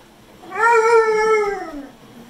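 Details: Pit bull dog 'talking' indoors: one drawn-out, tuneful howl lasting about a second, holding a steady mid pitch and then sliding lower at the end, with rich harmonics. The room is quiet around it.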